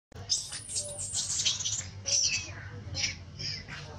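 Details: Very small baby monkey hurt by a bigger monkey, giving shrill, high-pitched squealing cries in a run of uneven bursts, strongest around the start and middle, over a steady low background hum.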